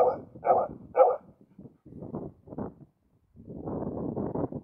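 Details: Male Karelian Bear Dog, focused while watching other animals in surrounding nature, recorded June 2016: three short loud barks about half a second apart, followed by quieter, rougher vocal sounds and a low noisy stretch.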